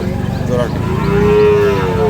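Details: Sahiwal bull calf at the Ambari cattle market in Dinajpur, Bangladesh, 5 May 2025. A single loud, steady, sustained moo fills the moment, with faint market murmur behind.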